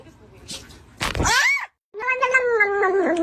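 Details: Domestic cat meowing indoors during a funny cat compilation: after a person scolds it for being on the bed, a short rising-falling cry, then a longer, steady, harmonic meow lasting over a second, with music and speech around it.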